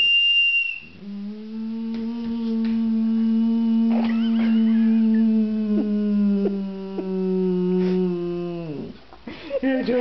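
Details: Bruno, a male boxer, howls in response to a whistle. A brief high whistle opens, then a long, steady, mournful howl holds for about eight seconds before sliding down, with human laughter in the background.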